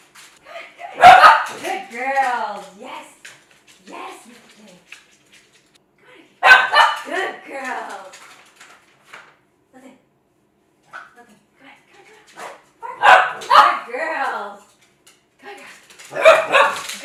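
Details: Cavalier King Charles Spaniels indoors, barking excitedly while chasing their owner around a kitchen island during bark-on-command training, each bark rewarded with a click and treat; sharp harmonic barks in bursts near 1, 6.5, 13 and 16 seconds, with speech between.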